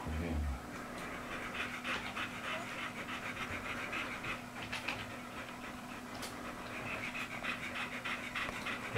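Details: American Bully in Serbia, from a pair of male Diamond and female Minie, panting rapidly in steady quick breaths, with people talking faintly in the background.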